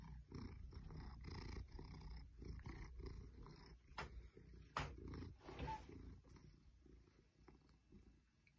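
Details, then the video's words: Ruby the Maine Coon, an 8-year-old pet cat, rumbles contentedly while being stroked beside fake plants in a child's room. The low, throbbing purr fades toward the end, punctuated by a few sharp rustles. "Ruby the Maine Coon loving pets purrs and fake plants"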